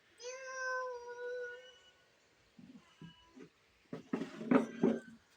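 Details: Pet cat giving one long, steady, drawn-out meow of nearly two seconds as someone tries to catch it, followed by short muffled sounds and voices.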